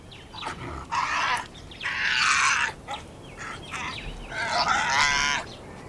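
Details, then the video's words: Hyenas of a clan eating carrion in Masai Mara National Reserve, Kenya: loud, strained, buzzy harmonic bursts about one second long, three main outbursts with short gaps and fainter calls between them. "Clan of hyenas eating carrion in the Masai Mara"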